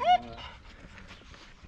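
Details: Rottweiler named Mirana, a pet dog highly excited by her obsession with a ball, gives one short, high, tonal whine that fades quickly into quiet room noise.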